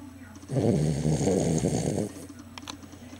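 A sleeping Cavalier King Charles Spaniel gives a low, rumbling snore lasting about a second and a half.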